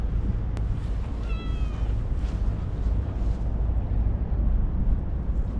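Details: Talkative stray cat giving one clear meow, slightly falling and drawn out for about half a second, over a steady low outdoor rumble; a sharp click comes just before it.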